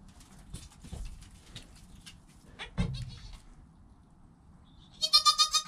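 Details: Goat kid Joel, newborn and less than an hour old, with his mother Penny nearby, recorded by GoPro: soft shuffling and scattered clicks, a brief cry, then a loud quavering bleat pulsing four or five times to close.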